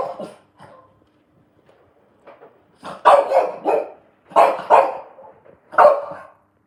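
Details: A French Bulldog barks at a washing machine in short, hoarse, mid-pitched bursts, singly or in quick doubled pairs, with brief quiet gaps, in a small indoor room.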